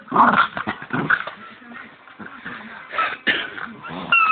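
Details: Bichon dog playing with his squeaky bone indoors: low rumbling growls and short whimpering yips mixed with high, squeaky toy squeals that come in bursts, loudest near the start and near the end.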